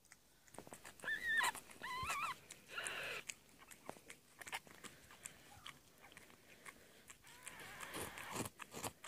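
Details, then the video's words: Cat Amber indoors while giving birth to a litter of four kittens on 22 February 2017. High, thin mewing cries wavering up and down come in short bursts early on, followed by softer rustling and shuffling with faint later mews. "My Cat Amber Gives Birth To 4 Kittens"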